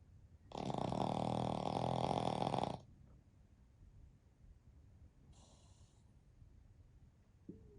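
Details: Napping flat-faced Pekingese and Shih Tzu cross, one of three family dogs asleep together: a long, harsh, vibrating snore of about two seconds, then a softer, shorter wheeze and near silence indoors.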